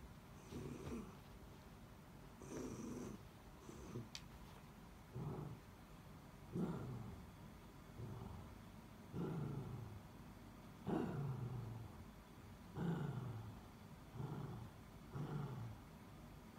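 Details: Miniature Dachshund indoors whining for help after its toy slid under the bed, glancing back while a younger dog looks on; low nasal whimpers and groans come in bursts about every one to two seconds, with soft rustling between.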